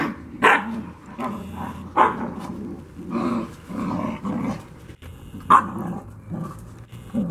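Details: Two-month-old Black Russian Terrier puppies: short barks mixed with low growling grumbles, bursts coming about every second or so, several overlapping voices in close succession.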